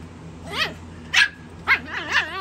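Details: Chihuahua puppies from Candy Kid Chihuahuas playing over a prize toy. Four sharp, high yipping barks, each bending up then down, arrive about half a second apart over a low steady hum.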